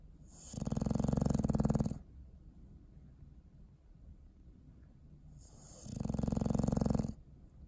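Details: Sleeping dog snoring, recorded December 21, 2019: two low, rattling snore bursts about five seconds apart, each lasting roughly one and a half seconds, with quiet breathing between them.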